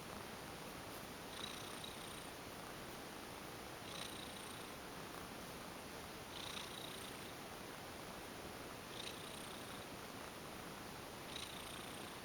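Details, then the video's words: Domestic she-cat, an ex-stray, purring lots during a relaxing massage indoors; a soft, constant rumble with regular stroking swishes roughly every two and a half seconds. "Lovely Cat goes limp for a massage & purrs lots !"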